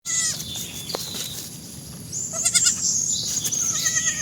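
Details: Goats bleating in short wavering, nasal cries with strong stacked overtones, one near the start and a quick cluster of several around the middle, with thin high whistling tones running through the background.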